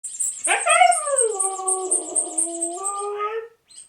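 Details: Siberian Husky making a squeaky vocal reaction: a drawn-out harmonic whine that starts high, slides down and levels off for about three seconds, then rises slightly at the end, over rhythmic background music.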